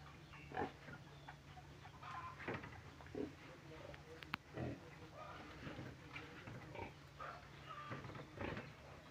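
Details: Pig giving short, rough grunts and snorts, repeated roughly every second in irregular bursts, over a steady low electrical hum.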